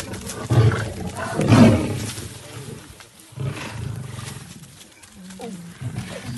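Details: Lions that climb trees to catch prey, giving deep rumbling growls and roar-like bursts, loudest around the first and second seconds, then lower grumbling with a short rising whine near the end.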